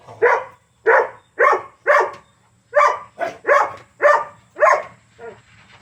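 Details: A pet dog wheezing, recorded on 25 August 2022: about ten harsh, breathy, noisy bursts in quick succession, roughly two per second, separated by brief quiet gaps with a faint low hum underneath.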